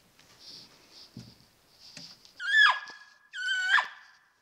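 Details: Peak-rut bull elk calling at night on a mountainside: two high, harmonic-rich whistled bugles, each rising and then sliding down, about one second apart, following soft rustling and a faint hiss.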